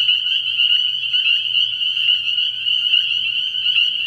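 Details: Night chorus of spring peepers at a frog pond in early spring: shrill, high peeps overlapping so thickly they form a steady ringing drone, with a soft low hum underneath.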